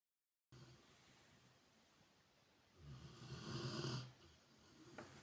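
A Rottweiler snores with a low, rasping rumble that swells and fades with one breath.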